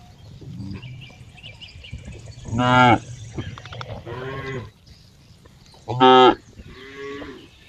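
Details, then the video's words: Cow lowing in two strong moos and a few softer, lower ones, with a low rumble of background noise throughout. "cow funny sound"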